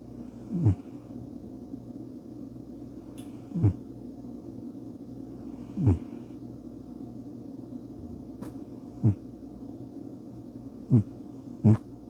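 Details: Sleeping house cat Bubba snores in brief, low, gravelly puffs that repeat every two to three seconds, with a steady faint room hum beneath.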